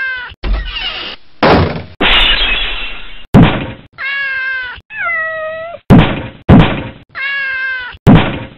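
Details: Domestic cat meowing several times between loud clattering thumps and bursts of noise; the meows are short, tonal and bent, some dipping in pitch, spaced roughly a second apart.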